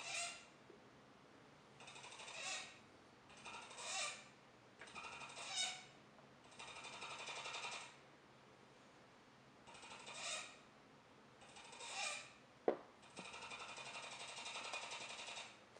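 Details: Indoor capybara named Joejoe repeating short buzzy rattles, roughly every one and a half seconds, several ending in thin whines, then a longer steady rattle; one sharp knock midway.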